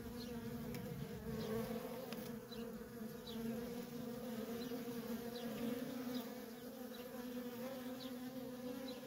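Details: Nonstop flow of honey bee workers at a feral nest: a rich, droning buzz swelling and easing slightly, with many brief whooshing passes of single bees.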